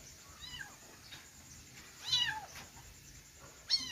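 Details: Kittens give one loud, rising-then-falling meow midway, framed by fainter mewing before it and a short sharp cry at the very end, over quiet hiss.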